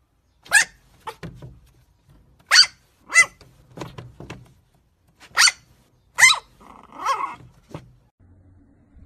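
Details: Chihuahua barking in short, sharp yaps, some single and some in quick pairs, with softer huffs between them and a drawn-out growling whine near the end before it falls quiet.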